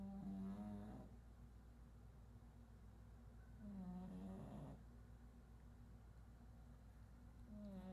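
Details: Sleeping pug, called chato, snoring indoors: nasal rattling snores roughly every three to four seconds, each a droning buzz that lifts into a wavering whistle before fading, over a constant low background hum.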